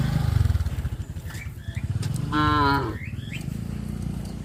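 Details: A single short, harmonic cow moo rises over the steady throb of a nearby engine, with a few bird chirps, while a farmer leads the cows to the pen in the evening.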